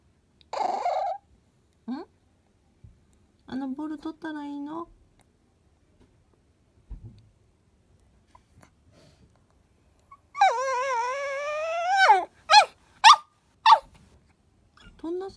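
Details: Indoor Chihuahua repeatedly asking for its ball: a series of wavering, nasal whines and short yelps spread over several seconds, including one long quavering whine, separated by silences, with a woman talking to it.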